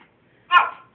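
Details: Female pet dog barking for food after a walk: a single sharp, loud bark indoors in a small room, bursting suddenly and fading quickly.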